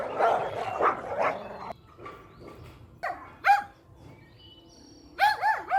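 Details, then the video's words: Puppies and mother dog at play over a toy outdoors. Scuffling, rough growly barks give way to a quiet stretch, then a high rising whine and wavering, whimpering yips. "Cute Puppy Toy Battle with Mother Dog | Funny Barking Sounds"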